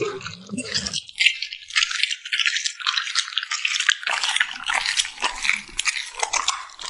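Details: Eating puppy smacking its lips: crisp crunchy clicks and wet ticks packed closely together, steady in loudness across the whole stretch.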